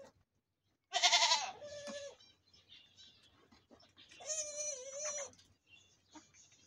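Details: Goat (Capra hircus) bleats loudly around milk-drinking time, a harsh wavering cry followed by a long quavering bleat.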